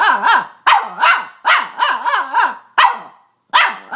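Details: Boston Terrier bitch barking and squealing, each burst a wobbly, rising-and-falling yelp with strong harmonics, about six bursts over four seconds with short silences between.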